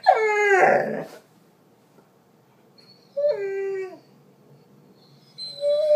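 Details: Female Doberman howling and whining, upset because her owner had to work all day; a loud falling howl, a second drawn-out wail after a pause, then a short rising whine at the end.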